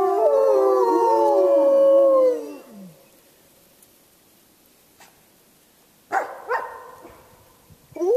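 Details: Wolves at Lakota Wolf Preserve howling together, several overlapping long tonal howls sliding downward for about two and a half seconds, then quiet, followed by a brief burst of higher calls near the end.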